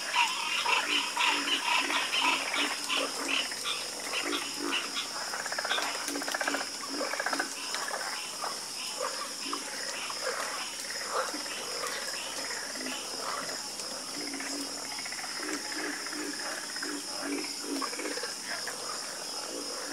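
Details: Dense nocturnal frog chorus: many croaking voices overlap in rapid, rattling pulses, loudest at the start and easing later, with a persistent high insect drone behind.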